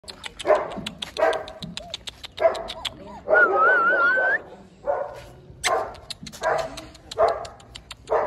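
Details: German Shepherd puppy at a dog kennel in India, giving short, mid-pitched yapping barks in loose bursts of two or three. A thin, wavering whistle-like tone rises through the middle. Faint rustling sits underneath.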